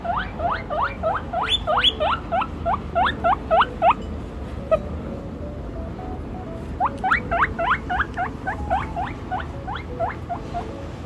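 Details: A baby guinea pig, excited and chasing a chinchilla, wheeks in fast runs of shrill, upward-sweeping squeals, two bursts separated by a pause.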